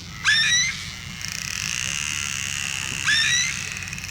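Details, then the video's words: Dolphin pod picked up on a hydrophone dropped into the sea, calls growing loud as the animals approach; two sharp rising whistles with bright harmonics half a second long, about three seconds apart, over a steady higher tonal hum. "Et alors que les dauphins s'approchent de l'hydrophone, les sons deviennent incroyablement forts."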